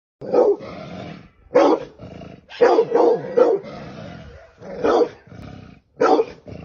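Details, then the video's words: Dog barking while attacking a snake; loud harsh barks in bursts of one to three, with a low rough growling rumble filling the gaps between them. "dog kill snake"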